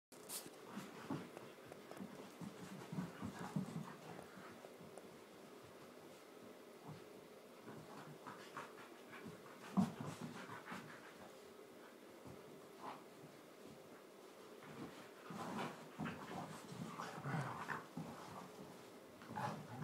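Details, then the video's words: Two pet Border Collies, a tri colour and a blue merle, in one of their daily play fights in a lounge indoors: soft rhythmic panting with scattered scuffling thumps and brief low grunts, fairly quiet throughout. "Border collie fun fight"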